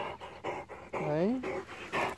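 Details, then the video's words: A struggling Great Dane pants indoors in quick, rhythmic breathy bursts about four times a second, while a man's voice talks to it and asks whether it is worn out. "Struggling Great Dane"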